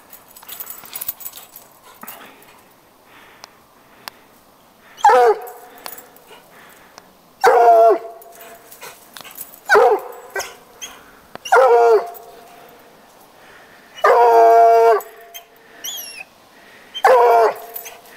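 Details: Coonhound baying after treeing a neighbour's house cat: loud, drawn-out harmonic bays, each about a second long, repeated every two to three seconds, with a Spanish-speaking voice and faint background noise between them.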